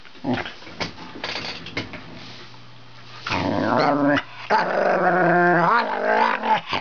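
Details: Male Wire Fox Terrier in a room, talking to his owner at the computer while a Border Collie waits behind him; scattered short yips, then two sustained, whiny, wavering moans about a second each.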